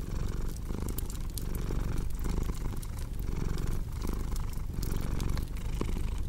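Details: Deep, continuous purring from a cat, pulsing with each inhale and exhale about every second, under frequent snapping clicks of a crackling fire.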